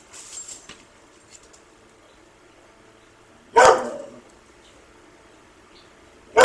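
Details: Dog chasing a squirrel named Bob lets out two loud, sharp barks about three seconds apart after a quiet stretch, the first trailing off briefly; faint rustling at the start.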